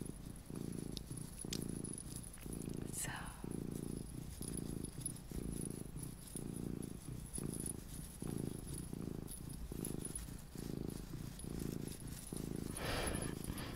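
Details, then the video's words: Luna, a small pet cat, purring to help listeners relax and sleep: a low, rattling rumble in steady breath-paced bursts under a faint background hiss, with a brief rustle near the middle. "my purring MINI Cat Luna"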